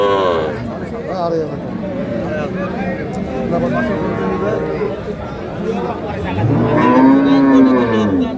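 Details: Dairy cows of Sahiwal, Sindhi and local breeds, sold with calves at a busy market in Dinajpur on 19 January 2026; a deep, swelling low moo arrives late, over continuous talk and haggling voices.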